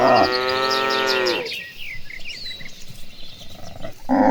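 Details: Gentle cattle being herded to a green pasture; one long loud moo lasting about a second and a half, falling slightly at its end, then quieter rustling and bird chirps before another moo begins.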